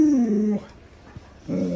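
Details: Alaskan Malamute named Luoluo, a pet dog reacting to its owner lying sick in bed, gives a low, moaning vocal that slides downward for about half a second, then after a short pause a second brief, wavering vocal.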